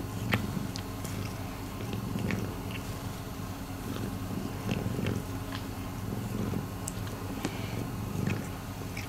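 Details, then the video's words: Miiko, a rescued domestic cat, purring: a low rumbling drone pulsing with her breathing, overlaid with frequent sharp little clicks and ticks like mouth or chewing noises. "Miiko is purring."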